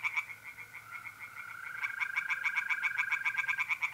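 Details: Pond tree frogs calling by night in mid-April, north-east Italy: quick uneven pulsed croaks from several frogs overlap a smooth, slightly rising trill of mole crickets.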